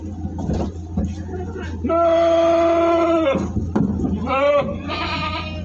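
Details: A sustained, nasal bleat from a jumbo goat during transport near Singosari, Malang, followed by two shorter wavering bleats, with clatter, faint voices and a low droning hum.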